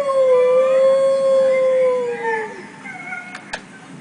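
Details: A Golden Retriever, reacting to a video of wolf howls played to her, gives a long, steady howl that dips slightly and then slides downward as it fades.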